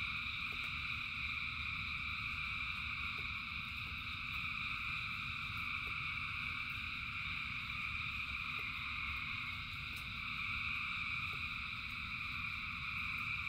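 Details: A large group of frogs singing during rain: a continuous, even wall of shrill trills at stacked pitches that never pauses, over a steady deep rumbling background and scattered soft clicks.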